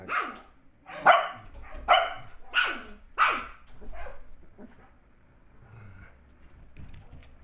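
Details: Almost six-week-old Shetland Sheepdog puppy playing indoors, chasing a bigger older dog, with other puppies in an enclosure nearby; five high, yapping barks come roughly every 0.7 seconds, then fade into softer yips and room noise.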